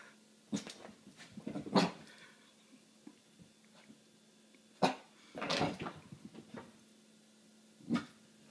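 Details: Dog scared of an apple inside a small room, giving a handful of short whimpering yelps spaced irregularly, roughly every one to three seconds, with a longer whining burst in the middle; a woman's voice precedes.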